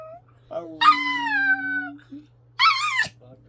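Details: Domestic dog howling in a duet with its owner inside a home: one long, steady, slightly falling howl, then a shorter wavering cry, mixed with the owner's low sung note.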